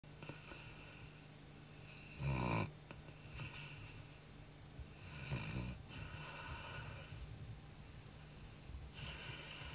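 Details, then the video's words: Pet Labrador Retriever asleep at night, tired after a lot of running, snoring softly indoors: a few faint, low rasping breaths spaced several seconds apart, one louder rumbling snore near the start. "ronquidos de labrador"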